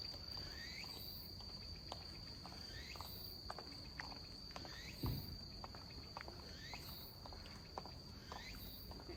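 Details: Robust cicada (tsukutsuku-boshi) calling at a slow tempo in autumn, 27 September 2021 at 17:34, perhaps weakened; repeated rising, upslurred phrases about every 1.7 seconds over a steady high insect drone, with rustling and footsteps.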